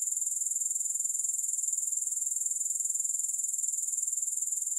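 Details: Continuous high, thin buzzing trill of grasshoppers, finely pulsed at an even rate throughout, with nothing else audible.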